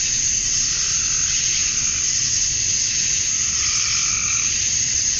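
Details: Summer dusk in Georgia, USA, where male cicadas chirp to draw in females: a steady, shrill buzzing wall of sound with no breaks, and a soft lower tone drifting in near the end.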